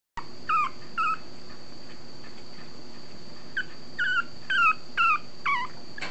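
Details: Female long-coat Chihuahua puppy, chocolate tan and white, thirty days old, born 22 August 2014, at a breeder in Fukuoka, Japan, recorded 21 September: thin, high wavering squeaks repeated in short clusters over a steady electrical whine.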